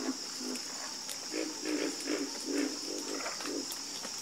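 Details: Frogs croak in a fast chorus, short low notes about three times a second, with an unbroken shrill drone high above.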